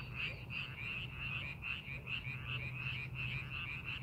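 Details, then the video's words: Korean rice-paddy frogs heard during farming preparation: an overlapping chorus of quick, twangy croaks, each pulse high and bright, coming roughly three times a second. A low droning hum continues in the background. "농사준비하는 논에서 개구리 울음소리"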